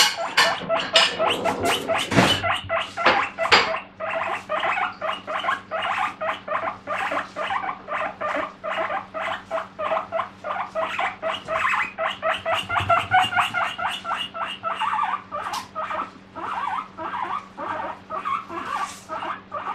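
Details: Domestic guinea pig in a noisy morning fuss, demanding vegetables: a long unbroken series of sharp squealing wheeks, quick and steady, each call brief with bright harmonics, keeping up for the whole stretch over a faint constant hum.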